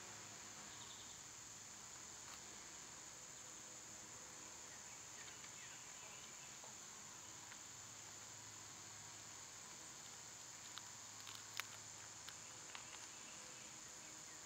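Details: In summer, cicadas keep up a continuous shrill buzzing drone with no pauses, while sporadic ticks and clicks cluster toward the end and faint bird notes appear now and then.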